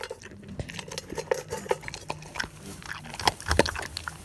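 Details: Dog eating various foods such as crispy items, moist food and bone, indoors in a small room; irregular crunching, biting and chewing clicks with short pauses between bites.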